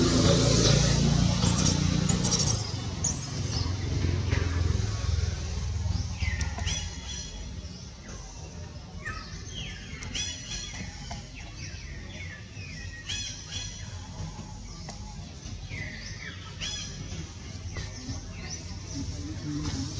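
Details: Small baby monkey Jody crying as mother Jane moves close to try to save him; repeated short, high arching cries with stacked overtones follow a loud low rumbling start, some cries in quick pairs, over steady background noise.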